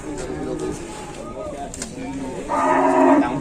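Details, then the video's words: Cattle described as sulking and angry, not yet fed and being taken to market, lets out a loud, strongly harmonic moo in the final second. Before it comes a quieter stretch of low murmuring and outdoor background noise. "SAPI INI KASIAN SEPERTI NYA NGAMBEK MARAH BELUM MAKAN MALAH DI BAWA KE PASAR"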